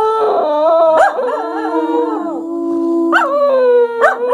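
Two English Cocker Spaniels howl together in wavering, overlapping tones that rise and fall.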